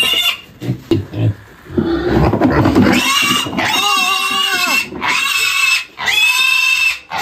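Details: Young black pig, one of three raised for six months on a rural farm, squealing while caught for weighing at about 20 kg; handling noise and speech first, then long, shrill, harmonic squeals in bursts, with laughter.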